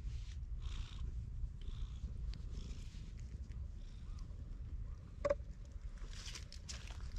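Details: Black stray cat guarding a cat shrine in Japan, filmed on a GoPro HERO8: steady low rumbling purr throughout, with faint rustling above and a sharp click near the five-second mark.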